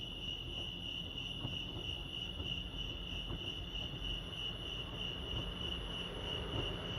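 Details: Crickets chirping at Lake Arrowhead, California: a steady, high, shimmering trill held at one constant pitch throughout, with a soft low rumble of background noise beneath.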